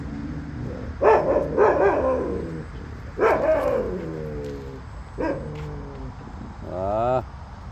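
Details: Jindo dogs giving a run of short, sharp barks, several trailing into drawn-out falling whines, and ending with a brief rising whine near the close.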